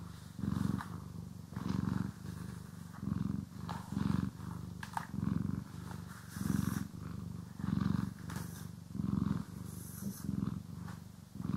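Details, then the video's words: Domestic cat purring while being groomed and brushed, recorded in stereo: low rumbling purr in pulses about once a second, each breath swelling and fading, with brief brushing strokes and soft clicks over the top. "CAT ASMR | Purring, Grooming & Brushing"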